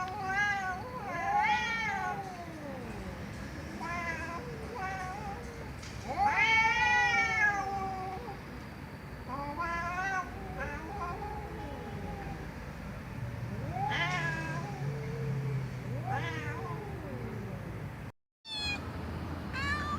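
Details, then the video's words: Domestic cat meowing loudly, a run of harmonic meows that rise and fall, some long and wavering, others short, coming in quick irregular succession with a brief cut near the end and low background hum. "Cats Meowing Loudly"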